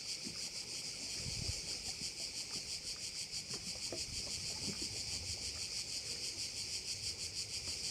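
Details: Chorus of crickets by a bay on Korčula, a steady high-pitched rasping trill that swells and fades about three times each second, over faint scattered low knocks and background rumble.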